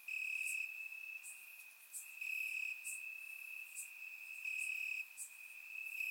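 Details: Crickets at night in Bulgaria during warm summer weather, captured with a surround microphone: an unbroken high trill with loud stretches alternating with quieter gaps, plus quick bright chirps spaced under a second apart.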